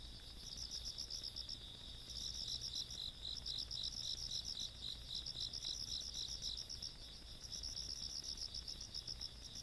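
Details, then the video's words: Insects calling on a countryside night, 17 August 2022: high, thin, rapid pulsed trills in bursts over a steady ringing tone, quiet low background hum. "시골밤 벌레소리"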